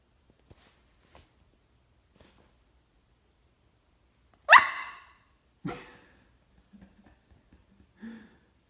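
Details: A tired corgi puppy, not wanting to play and ready for bed, gives two sharp, high barks, the first loud and the second softer.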